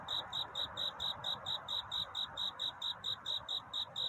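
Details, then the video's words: Courtship song of a cricket at night toward dawn, described as a song seeking love rather than crying: a steady train of short, high, ringing chirps, close to five each second, with faint hissing ambience beneath. "귀뚜라미 울음소리. 슬퍼 말아요 우는 것이 아니라 사랑을 찾는 노래랍니다"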